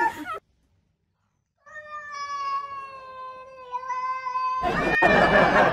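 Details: Cat indoors giving a drawn-out, steady, tonal wail of about three seconds that rises slightly at the end, preceded by a brief noisy burst and followed by loud broadband rustling or handling noise.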